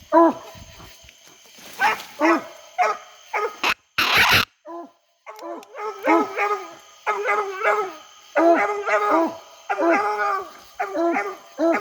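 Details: Coon hunting with English Coonhounds on a hot summer night: bursts of harmonic, chopped bays from the hounds, a loud clattering noise near the four-second mark, then more rapid overlapping baying over a constant high insect drone.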